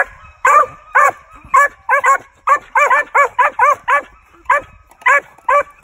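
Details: Chief, a young male Original Mountain Cur squirrel dog, OMCBA registered, born 5/28/19, of Nickelson and Mohawk breeding, in training: a steady run of about seventeen sharp, ringing barks, some in quick pairs and trios, with brief pauses between bursts.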